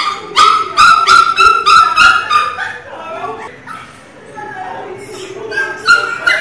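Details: Pinscher puppy crying loudly: a quick series of sharp, high yelps, about three per second, fading into softer whimpering before a final loud cry.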